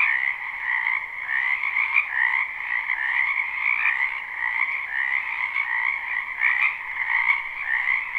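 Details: Wetland frogs in spring calling en masse: overlapping trills form a continuous droning chorus in two pitch layers, loudness rising and falling softly, a few brief clicks near the middle and end.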